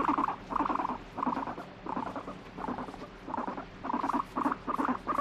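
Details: Pet guinea pig that alternately wants petting and tells its handler to go away, reacting with annoyance while stroked: short buzzy harmonic bursts near mid pitch, repeated about once every three-quarters of a second with brief gaps.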